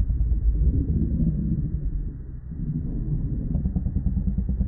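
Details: Low, throaty snarling and rumbling from two wild male lions locked in a fight for kingship, rough pulses of growls, a brief lull midway, then renewed rumbling.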